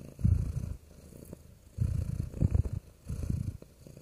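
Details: Close, loud cat purr made of low vibrating bursts that come in three waves of rumbling, each lasting under a second, over a quiet background.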